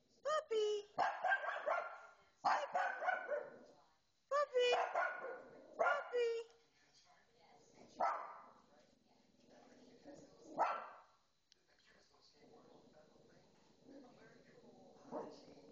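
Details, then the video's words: Pet dog, female, overexcited while watching a pet program on television, barking in a fast string of loud, ringing yaps that fade into quieter, scattered yelps and television chatter. "Dog Barking at TV"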